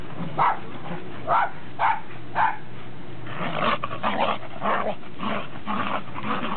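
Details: Welsh Corgis (Pembroke and Cardigan) and a Cairn Terrier on 30 December 2006; four quick evenly spaced barks open, then a denser, overlapping flurry of barking and rough vocal noise follows.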